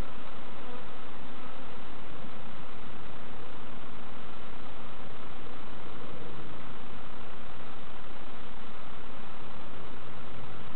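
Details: Thick, unbroken drone of many honey bees at an opened hive, Summerwood Lane Allotments and Community Garden, during an inspection by beginners; no voices, just an even, rough hum throughout.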